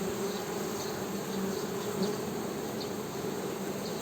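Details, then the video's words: Honey bees humming: a steady, low droning buzz that holds evenly throughout, its tone slightly wavering as individual bees pass close, over a faint hiss in the background. "HONEY BEE'S HUMMING SOUND"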